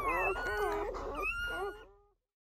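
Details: Newborn German Shepherd puppies crying indoors under a dim camping light while their mother Betty gives birth to a litter of ten through the night: high, wavering, harmonic whimpers and squeals for about two seconds, then fading to silence.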